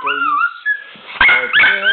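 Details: A Danish-Swedish Farmdog, who loves to sing along to the birthday song, howls in high, drawn-out tones that waver and slide in pitch while people loudly sing and cheer the Danish birthday song.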